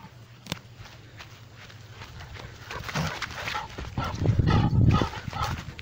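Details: Four Rhodesian Ridgebacks trotting and running: low, thudding footfalls and rumble build up, with rough, harsh barks bursting out from about the third second and growing louder toward the end.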